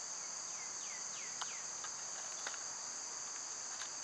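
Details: Cicadas keep up a constant piercing summer buzz while a bird gives several swooping, downward-sliding whistles, followed by a few sharp taps.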